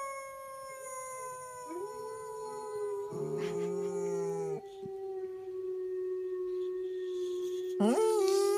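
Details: A dog howling indoors: a long, steady, drawn-out tonal note with rich harmonics, held almost unbroken for over eight seconds, swelling louder in the middle and ending with a brief upward break.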